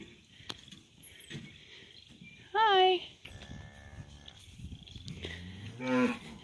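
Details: Cows and calves being moved out to summer pasture: two loud, high, strained bawls that bend downward, a quieter lower moo between them, and a woman talking softly in the background.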